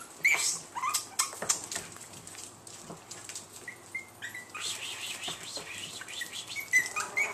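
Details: Chihuahua puppies indoors, including Tinker, a tiny, friendly black-and-white spotted male puppy, recorded on March 23. Short high squeaky whines sound in brief pairs near the start, middle and end, among scattered clicks and rustling handling noises.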